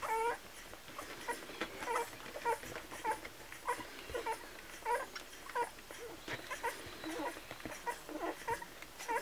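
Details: Squealing Kromfohrländer puppies during milk feeding: rapid, uneven series of thin, wavering squeaks and whines, almost two per second, with brief rustling between cries indoors.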